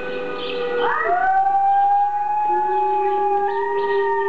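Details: A pet dog named Gordi howls in reaction to wolf howls played from an online recording: a long tonal note sliding up sharply near one second, then holding steady, with a lower sustained voice joining partway through.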